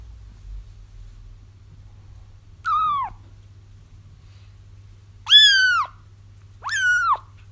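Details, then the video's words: Kitten cries used for trapping a feral mother cat: after a quiet start, three high mews come in, the first short and dipping, the last two loud, bright and bending downward, steady background hum. "30 minutes of Kittens Crying"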